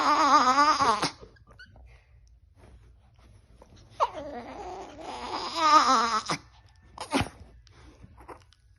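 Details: A Chihuahua, described as fierce, making funny noises indoors: two bursts of warbling, wavering moan-like whining with rich harmonics, each a second or two long, separated by quiet, then a short sharp cry.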